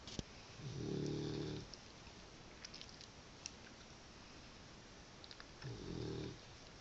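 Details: Sleeping Cavalier King Charles Spaniel, a loud snorer, gives two rough, rumbling snoring breaths about five seconds apart, each lasting around a second, with quiet pauses and faint clicks between.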